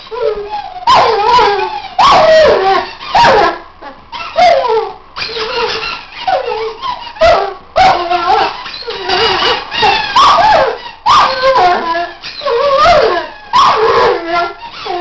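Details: Weimaraner named Archie trying to out-squeak his toys, giving short broken howls and yelps that slide up and down, bursting roughly once a second amid sharp toy squeaks.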